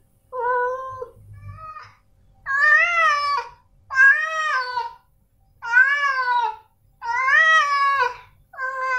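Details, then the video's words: Male domestic cats, Snowy and Milo, meowing indoors: a run of loud, drawn-out harmonic meows about a second each, rising then falling in pitch, separated by short silences, with one fainter, shorter call early on. "Suara Kucing Jantan"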